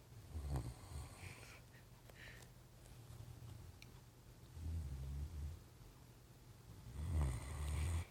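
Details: A Great Dane passed out asleep on a couch snores in deep, rumbling rasps that come at uneven intervals.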